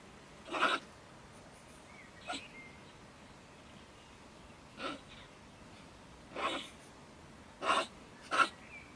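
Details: Stone marten, a female that lives in a wood stack next to a shed in Germany, raving angrily one evening near 10 pm: six scattered, sharp, sneeze-like spits with quiet gaps between them.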